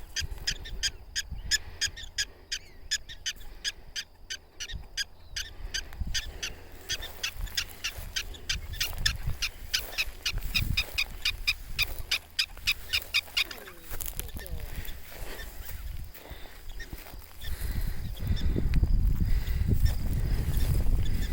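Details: Prairie dogs protesting at nearby people with a fast run of sharp, squeaky chirps, several each second, for about thirteen seconds, after which wind and handling rumble take over.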